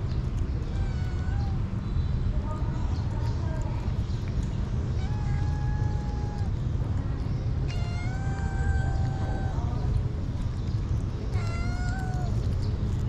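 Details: Hungry street kitten mewing while being given food; a run of thin, drawn-out meows, some level and some bending upward, scattered across the clip, possibly more than one cat, against constant low traffic-like rumble.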